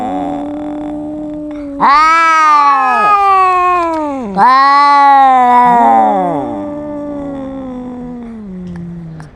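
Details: Domestic cats in a noisy argument. A low, steady moaning growl runs throughout, broken twice by sudden loud, harsh, rising-and-falling yowls from a second cat. The intertwined voices fade at the end.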